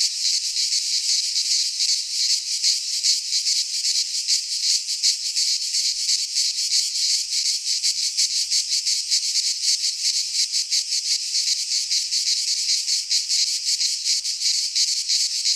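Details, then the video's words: Midsummer cicada chorus recorded in a pine forest in Greece, a steady shrill rasping drone with rapid fine pulsing and slight swells in volume throughout, nothing else audible. "Cicadas singing in midsummer - Nature sounds from the Greek fauna - Sounds of cicadas"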